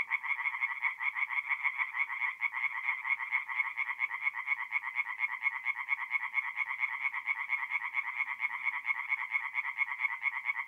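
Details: Tree frogs singing at night at a forest pond in mid-April in north-east Italy: a steady, rapid run of harsh pulsed croaks, about two per second, continuing unbroken with no other sounds.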